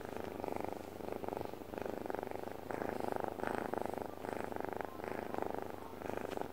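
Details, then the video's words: Sleeping pet cat purring, possibly mixed with snoring, close and loud: rhythmic pulsing purr in breath-length bursts of roughly one second, alternating inhale and exhale, in a quiet room. "덕배의 골골송? 코골이송?"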